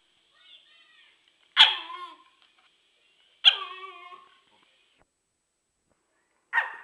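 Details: Okami, a dog wanting to play, fussing at Urd, who cannot hear him: three sharp barks with harmonic, slightly whining tails, about two seconds apart, the last cut short, in a quiet indoor setting.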